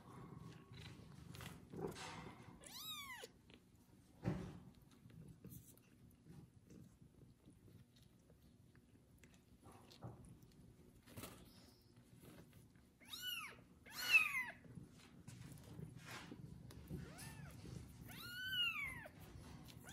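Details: Loud meows from the kitten Kubik after his first bath as a pregnant foster cat mother licks him; four or five rising-then-falling meows in scattered bursts among quiet stretches of rustling and light handling noises.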